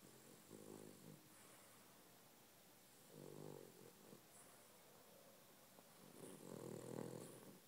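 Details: A pet dog asleep indoors, snoring in soft rhythmic bursts: three raspy breaths about every three seconds, each with a low buzzy rattle, the last one loudest, in a quiet room.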